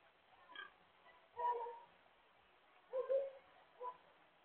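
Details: Blue Hampshire pig, a domestic breed from Hampshire, England, giving four short harmonic grunting calls spaced about one to one and a half seconds apart, some with a nasal, squealing edge, over a quiet background.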